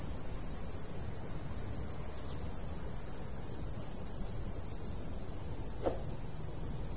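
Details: Countryside crickets in summer near a golden wheat field, light breeze; a fast steady train of high chirps runs throughout, with one brief sharp click near the end and low wind rumble beneath.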